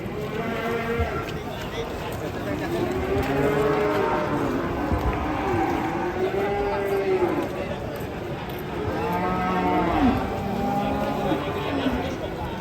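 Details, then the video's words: Raging, agitated cattle moo repeatedly in overlapping, arching calls that rise and fall. Several animals seem to answer one another, over a constant murmur of voices and pen noise. "SAPI NGAMUK SPILL EDAN SAMPE HILANG INGATAN"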